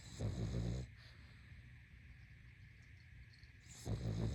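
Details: Deep, gravelly snores from a sleeping pug: one rasping breath at the start and another near the end, separated by a quiet pause with low background hiss.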